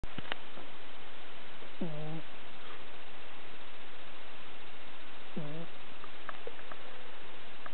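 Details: Domestic cat snoring fairly loudly, two drawn-out harmonic snores about four seconds apart, each with a low throaty base, in a quiet small room with faint background hiss.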